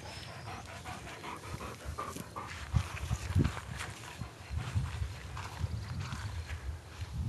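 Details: Two-year-old male Weimaraner panting while searching for and retrieving his favorite bone; quick, breathy, irregular pants in steady bursts over a soft outdoor background.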